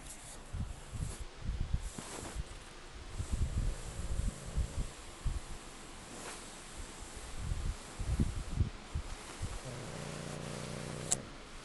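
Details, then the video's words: Goose, a pet pug dog, snoring in sleep: low rumbling, snorting breaths in uneven bouts every couple of seconds, with a short droning tone near the end. "Goose Snoring"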